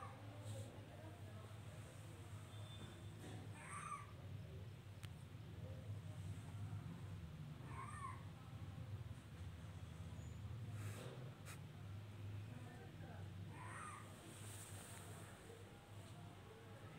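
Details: Domestic cat at home giving three faint, short meows around four, eight and fourteen seconds, each a brief tonal wail, over a steady low hum.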